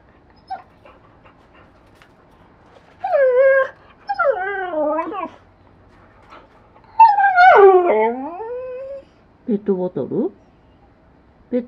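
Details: Pet Siberian Husky with blue eyes talks to its owner to get what it wants, producing wavering, moaning whines that bend up and down in pitch, in several separate phrases with silent gaps, ending in short choppy yelps.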